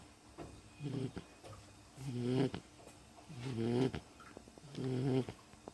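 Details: Sleeping Beagle snoring: four rough, buzzy snores, each about half a second long, come roughly every 1.4 seconds, with quiet breathing between them indoors.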